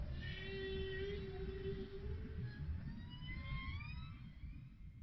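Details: Underwater humpback whale song from NOAA ocean recordings: a long steady mid-pitched moan, then several thin whistled squeaks sweeping upward, over a constant low rumbling background.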